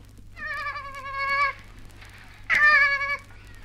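A female koala gives two nasal, bleating wails, the first about a second long and the second shorter and harsher, with a quiet pause between them.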